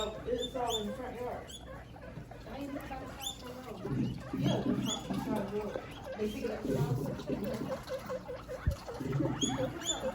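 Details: Pet guinea pigs squeak and chatter in a room, short high chirps repeated about every second over low rumbling voices and handling noise.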